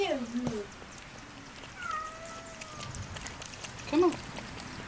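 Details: Cat giving birth to her third kitten, meowing: a short falling cry at the start, then a long, steady, drawn-out tonal meow, and a brief higher call near the end, while people talk quietly nearby.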